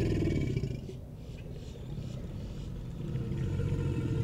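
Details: American alligators (Alligator mississippiensis) bellow in a deep, throbbing rumble that rolls on without pause, as part of mating behaviour.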